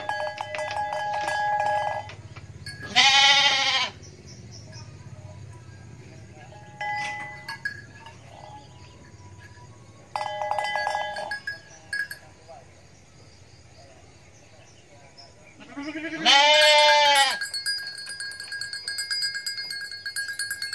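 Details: Farm goat bleating: two loud, wavering harmonic bleats about thirteen seconds apart, each near a second long, with fainter tonal sounds and music-like tones between them.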